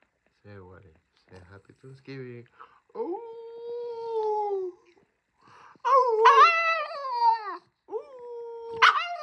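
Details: French Bulldog indoors giving short grunting yips, then long, steady, tonal whining howls that hold level and then dip, followed by a louder wavering howl and a final rising whine.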